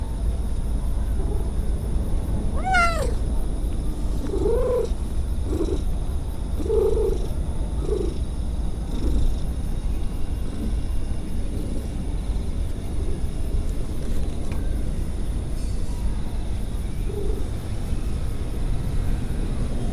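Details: Stray cat that purrs while meowing: one sharp, high upward-sweeping cry, then a run of short, soft chirping mews at irregular intervals over a constant low purr.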